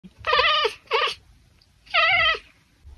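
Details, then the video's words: A tortoiseshell Oriental Shorthair cat chirp-honks at birds, giving three harsh, nasal honking chirps, each sliding downward at the end, with a pause before the last. "cat chirp-honking at birds || ekekekkekkek"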